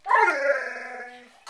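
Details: A frustrated pet dog vocalizes at another dog over a bone he wants, giving one long drawn-out, moaning bark-whine that slowly fades over about a second, followed by a brief second sound.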